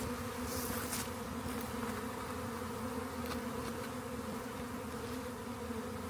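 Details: Honey bee swarm found near a rain gauge and later collected, a dense steady hum with harmonic bands, continuous throughout, with a few brief clicks and rustles.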